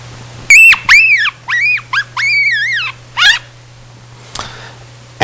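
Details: Yellow-bellied marmot pups, within about nine days of emerging from the burrow, give harsh, arching screams that rise and fall, with rough warbling overtones: warbles, subharmonics and chaotic noise.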